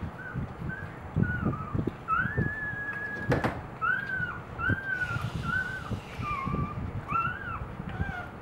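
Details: Two-day-old Boxer puppies with their mother Eve at morning feeding, giving a run of short high squeaks and whines that arch up and down, several overlapping, over low rustling and thumping.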